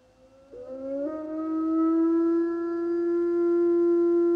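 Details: Iberian wolf (Canis lupus signatus) gives a long, smooth howl that jumps up in pitch, then holds steady.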